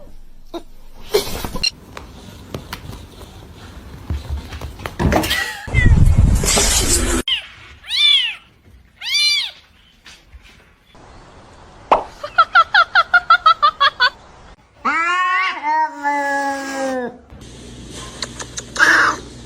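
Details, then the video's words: Domestic cats meowing in a funny compilation: two arched meows, then a rapid burst of about ten short chirping meows, followed by two longer drawn-out wavering meows, between cut-in snippets of noise and brief speech. "funny cats talking"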